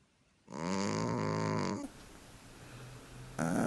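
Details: Sleeping cat snoring in deep relaxation: one loud, droning, buzzy snore with a rough, nasal tone lasting over a second, then a quiet pause before the next snore begins.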